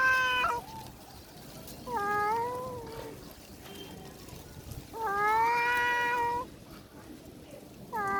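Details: Threatening domestic cat growling to chase off another cat, a female that runs away scared; long, strained, harmonic-rich yowls that rise and sag in pitch, three main calls spaced a few seconds apart.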